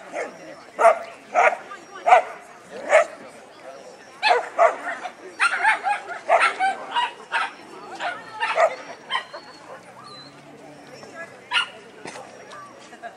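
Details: Labrador Retriever at a trial in Monroe, Washington, barking while spinning; loud single barks spaced roughly half a second to a second apart, mixed with human speech and a faint high whistle-like tone.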